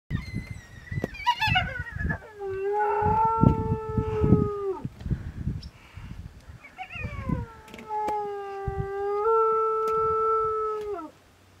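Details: Sub-adult spotted hyena trapped inside a dead elephant's carcass in the Mara Triangle, Maasai Mara, on 10 March 2022, harassed by lions and terrified. It gives long, sustained, mournful howls that waver then drop away, with rough, chattering shrieks and low thuds between them.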